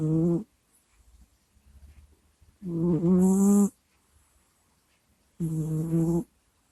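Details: Pet cat snoring and groaning during sleep into a nearby microphone: low, wavering moans lasting about a second, repeated at intervals of roughly three seconds, with faint snuffly breaths in the pauses.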